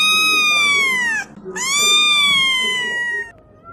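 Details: Cat meowing loudly: two long, clear, strongly harmonic meows, the first gently falling and cut short, the second drawn out and slowly sliding down, with faint background noise.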